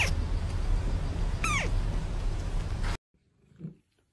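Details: Kitten giving a single short, high, falling meow over loud, steady low background noise, then silence with a faint low thud.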